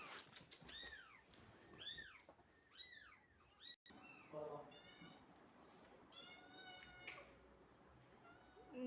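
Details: Indoors at home, a mother cat and her three newborn kittens being moved into a box; several thin, arched mews come in quick succession early on, followed by quieter rustling and a woman's low voice.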